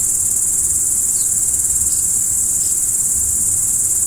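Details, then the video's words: High, even cricket shrilling fills a night scene without pause; three faint short chirps come in quick succession in the middle, over a low background murmur. "Stars at Night BLACK B/G - Video & Audio Crickets"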